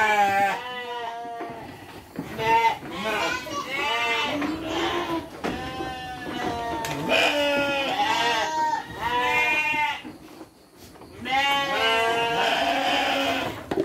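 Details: Sheep fed dry feed with children present: several quavering bleats scattered through the stretch, mixed with frequent children's speech and calls.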